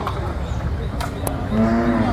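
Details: Young buffalo calves and bull calves kept in stock for sale at a livestock market; a short, low, droning moo swells during the last half-second, overlapping a man's steady sales talk and background bustle.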